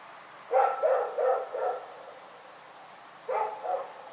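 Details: Rex, a dog at Pyrga, barking in the night: a quick run of four sharp, mid-pitched barks, a pause of over a second, then two more barks in quick succession over a quiet background.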